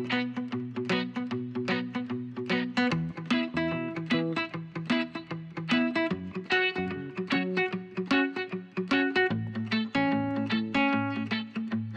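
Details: Strummed guitar music plays in a steady rhythm throughout, with no animal calls.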